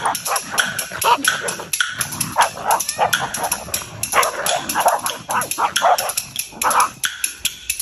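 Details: Welsh Corgis fighting in a park, a dense run of rapid yapping barks and growly snaps with hardly a pause, over a steady high hiss.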